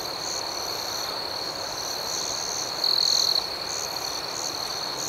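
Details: Crickets chirping at night, a dense high-pitched trill with rapid pulsing above it, broken by one louder, piercing half-second chirp burst around the middle; soft background hiss.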